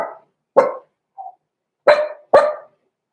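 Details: Indoor puppy pen holding six-week-old Cavalier King Charles Spaniel pups Roman and Blue, blenheim litter born November 14, 2022. Four sharp, high puppy barks with one thin whine between them, in a quiet room.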